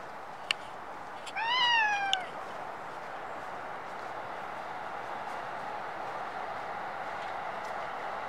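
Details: A Japanese stray cat, filmed on a Nikon D5300, lets out one short meow that rises slightly and then falls, bracketed by sharp clicks. Several seconds of steady low background noise follow.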